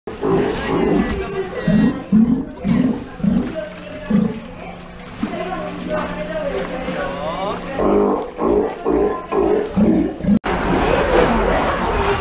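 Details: Steller sea lion pup at Ise Sea Paradise aquarium in Japan, about two months into training not to bite, giving rough pulsed roars in rhythmic runs, a steady low tone partway through, and human voices.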